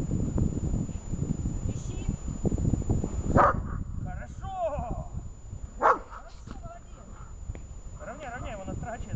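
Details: Shaman, a dog in protection training outdoors, gives two sharp, loud barks near the third and sixth seconds, set against steady wind rumble and a person talking between them.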